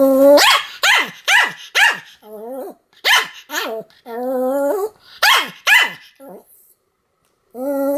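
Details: Sam, a Pomeranian, in a run of continuous barking dated 7 October 2015: rapid shrill barks mixed with drawn-out whiny yelps, coming in quick clusters before a brief pause.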